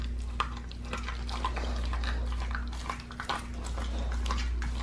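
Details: Pit bull raw-fed, gnawing a raw leg of lamb: dense, irregular wet crunches and clicks, several per second, over a steady low electrical hum.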